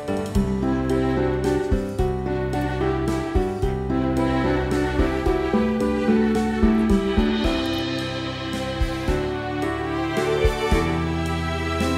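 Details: Gentle instrumental music plays throughout, with steady low bass notes and repeated melodic chords, and no barking or other animal voices.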